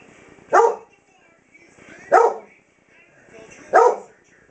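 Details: Three sharp barks, spaced about one and a half seconds apart, from a 7-year-old German Shepherd Dog losing her sight as she reacts at night to a clock in the house.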